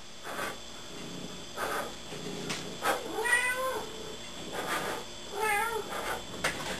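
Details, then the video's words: Indoor pet cat Gertrude giving two bent, whiny meows, the second one longer, after her owner's soft blowing noises and a spoken prompt, over a constant low hum. "Hysterical Talking Cat"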